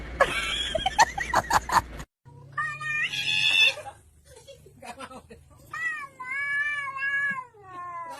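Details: A domestic cat gives several drawn-out, wavering meows that rise and fall in pitch, the last one long and bending. It is mixed with background music, a short burst of clattering at the start, and a person's voice.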